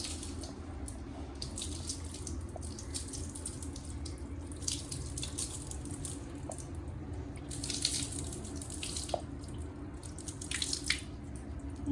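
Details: Running tap water and splashing in a small room, with steady low hum and no animal voice.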